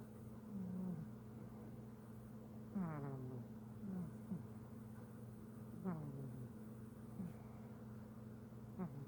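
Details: Sleeping house cat named Simba snores quietly. Low humming breaths recur about every two to three seconds, several closing in a quick rising whistle, against a constant low background hum.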